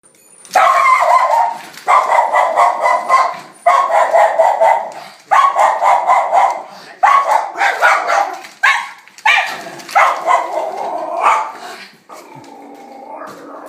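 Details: Schnauzer dog greeting a friend, giving a long run of loud, drawn-out whining, yodel-like cries, about nine bursts each lasting a second or more, separated by brief pauses, ending with a softer, lower whine.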